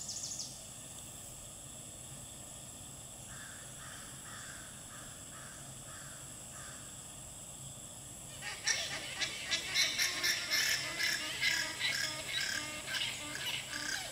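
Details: Alpaca; alarm call; female alerting the herd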